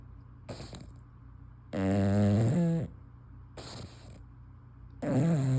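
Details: Female English Bulldog sleeping with her tongue hanging out snores rhythmically: two long, loud, rattling snores with falling pitch at the end, alternating with brief, softer, hissy exhales.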